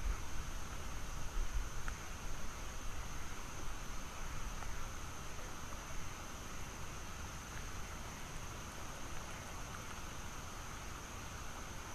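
Steady broadband hiss like rain or distant traffic, with a faint high tone and no clear animal calls.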